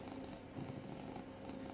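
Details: Rescued domestic cat in its permanent home in Cooktown, Queensland, Australia, purring: a quiet, continuous low rumble with fine rapid pulsing, steady from start to end, no other clear sounds.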